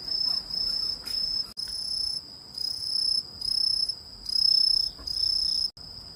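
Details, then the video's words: Cricket-like insect, perhaps a grasshopper or katydid, giving high ringing trills in bursts of about a second, separated by brief quieter gaps, with faint higher overtones and a couple of sharp clicks. "이 소리의 주인공은 귀뚜라미? 베짱이? 여치? # Who makes this sound, a Cricket or a Grasshopper?"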